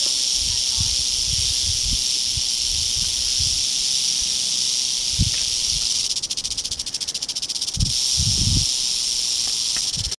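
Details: Wild Western rattlesnake (Crotalus oreganus) on a trail in Andrew Molera State Park near Big Sur, California, August 2010, keeps up a steady, unbroken hissing buzz of its rattle, with a few soft human sounds beneath.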